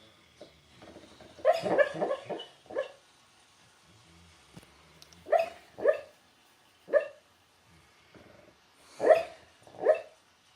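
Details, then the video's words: Sleeping pet dog named Ozzie hiccups as he dreams, a run of sharp tonal bursts at irregular intervals, some doubled, about eight across the stretch, with faint background hum between them. "Dog hiccups and snores in his sleep"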